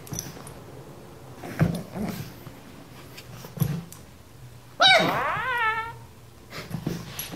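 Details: Pug giving a single drawn-out, high whining yelp with bright stacked overtones that slide downward over about a second, preceded by a few soft thumps and indoor room noise.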